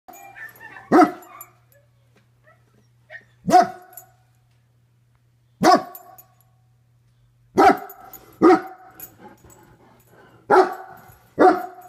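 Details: German Shepherd (Canis familiaris), bark.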